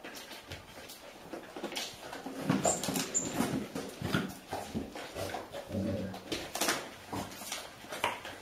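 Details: A 5-year-old Golden Retriever grandmother tries to escape her 8-week-old grandpuppies following her for milk in their playpen, with soft whimpers and short yelps indoors; Haute-Savoie, France, October 2013.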